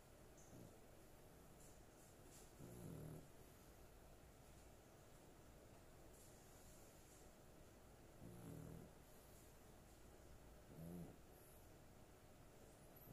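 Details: A female dog sound asleep indoors, snoring in deep, guttural rumbles. There are three drawn-out snores spaced several seconds apart over a steady low hiss.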